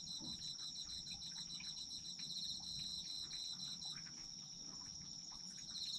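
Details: Several autumn insects: a sustained high ringing trill, a rapid beaded chirping that stops near four seconds and returns at the end, with light ticking in between.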